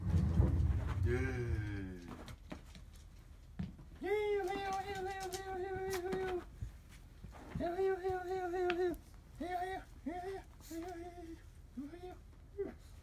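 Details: A sleepy Chihuahua, drowsy in warm spring weather, gives drawn-out, tonal whines, first long and level, then shorter and bent upward.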